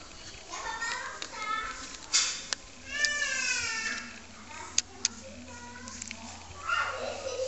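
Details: Dachshund puppies, 4 weeks old, give high, thin whines and squeaks in short, overlapping bursts.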